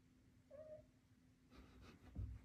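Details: A Devon Rex kitten playing with a laser pointer gives one short, thin, level mew, followed by soft rustles and a thump.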